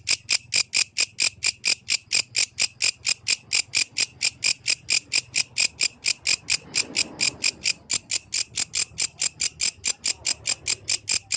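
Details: A yellow grasshopper at night gives high, dry chirps that repeat steadily, about four each second.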